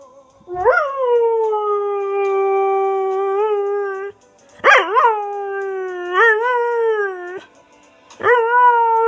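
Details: Border Collie (Canis familiaris) howls along to his favourite song, "Unchained Melody" by the Righteous Brothers, in long, steady, mournful notes that bend upward at the start.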